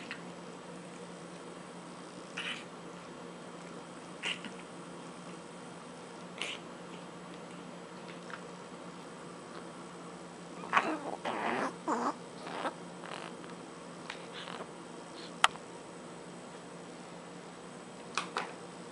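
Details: Miss Margot, a brachycephalic dog, slurping and snorting at mealtime indoors; scattered short clicks, then a dense cluster of wet, breathy snorting bursts mid-recording, a few sharp clicks later, over a steady low room hum.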